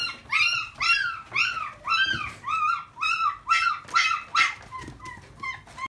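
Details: Boston Terrier puppy with one black front leg, giving a steady run of rising-falling whines, about two per second, each with bright overtones, fading to softer, shorter whimpers near the end; indoors, no other sounds.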